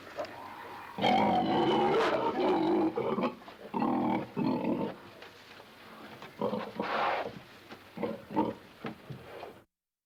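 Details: A domestic pig in a pen grunts repeatedly, a run of rough, nasal snorts and harsher squealing grunts.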